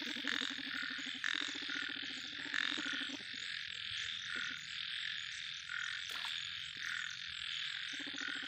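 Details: Big yellow frog giving rapid pulsed, rattling croaks in the first three seconds and again near the end, with a constant high hiss of background chorus throughout.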